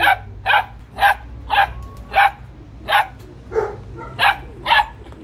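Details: Noisy Belgian Malinois giving a steady run of about ten harsh, punchy barks, roughly two per second, with a brief pause midway and a faint low hum in the background.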